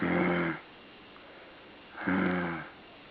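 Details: Puppy or dog making two rasping, snore-like breaths, each about half a second long with a buzzy harmonic tone, separated by a quiet gap of about one and a half seconds indoors.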